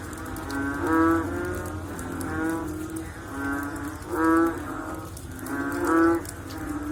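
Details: Several frogs call after rain, producing hollow, cow-like croaks with a quavering tone. Prominent calls come about every one and a half seconds, overlapping a dense background chorus of the same deep calls.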